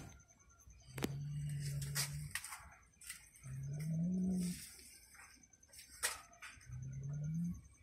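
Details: Mother cat lying with her newborn kitten utters three low, drawn-out tonal calls, each about a second long and rising slightly at the end, spaced two to three seconds apart, with soft clicks and rustling between them.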